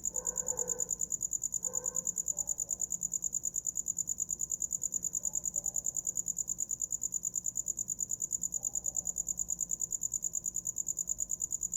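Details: Night cricket song: a continuous shrill pulsed chirping at a fast regular rate, about three pulses per second. Faint softer murmurs are heard near the start beneath it.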